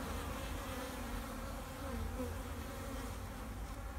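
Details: Honey bees overwintering in a backyard hive, Vancouver, BC, March 2, 2019, sunny afternoon at 8 degrees, stirred up with the hive cover off, give a dense, continuous low buzz with faint wavering tones above it.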